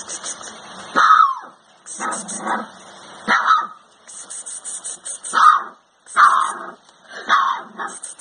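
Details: Rottweiler puppy howling while playing with a child indoors: short rising yelping howls in bursts roughly every second, with a steady high-pitched hum from a TV in another room behind them.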